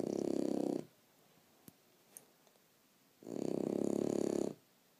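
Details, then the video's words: French Bulldog asleep, giving two loud, fluttering snores about a second long, separated by a quiet pause of over two seconds with a couple of faint clicks. "Leonidas snoring"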